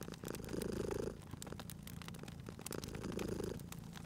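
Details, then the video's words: Sleeping cat by a crackling fireplace, purring steadily; gravelly low purr pulses, louder in two breath phases, accompanied by quick bright crackles and snaps of burning wood. "Cute Purring Cat at a Crackling Fireplace"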